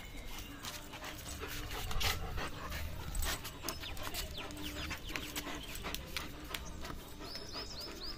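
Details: German Shepherd playing with a rope: rapid rough panting with scattered clicks and knocks, some soft whimper-like squeaks near the end.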